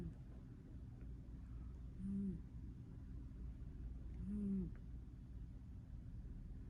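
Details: Sleeping cat snoring softly before being accidentally woken, two soft low breathy snores about two seconds apart, each a brief rising-then-falling tone over a constant low rumble.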